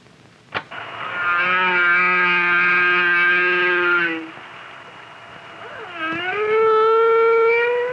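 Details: A humpback whale, recorded underwater near the Silver Navidad Banks where humpbacks come to bear their calves, gives long, tonal, moaning calls, one steady and one sweeping upward after a dip.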